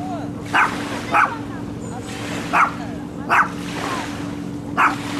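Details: Dog barks captured on a handheld Sony camcorder: five abrupt, clipped barks at uneven intervals, some close together, with a constant low droning hum beneath.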